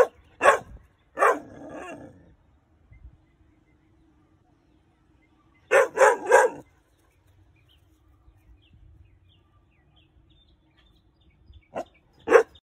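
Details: A male Weimaraner puppy, under five months old, in 2021, gives sharp, scattered barks, alerting to a perceived intruder.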